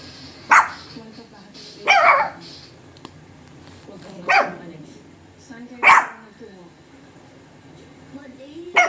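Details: A Shih Tzu mother and her puppies bark together, giving sharp, high yapping barks about one every couple of seconds.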